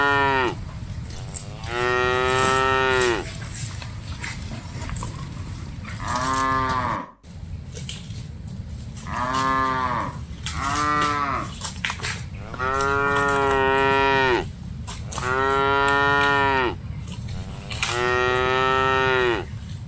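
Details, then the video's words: Cattle from a herd of dozens being herded moo repeatedly. Seven or eight separate moos come at irregular intervals, each a short, nasal lowing call that falls slightly at the end, with brief quiet gaps between them. "Aktivitas Mengiring Puluhan Sapi Lembu Lucu Suara Moo - Suara Sapi Moo Yang Lucu"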